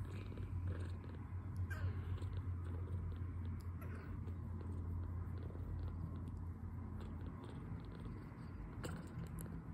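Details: Low rhythmic purring from a two-week-old foster kitten, full of milk and relaxing while recovering from poor health; the rumble holds steady throughout, broken by a few sharp clicks and rustles.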